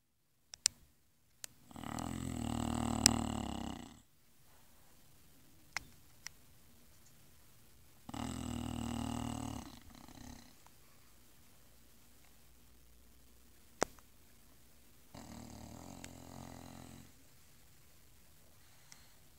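An English Bulldog snores in loud, rattling breaths of about two seconds, each followed by a quiet pause.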